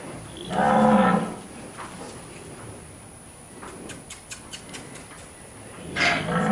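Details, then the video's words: Brahman cattle from the BRC Ranch herd being penned and worked in a handling demonstration; a loud, harmonic low moo near the start, a second call rising at the end, with clattering and knocking of movement and gates between. "Brahman Cattle Working / Penning Demonstration"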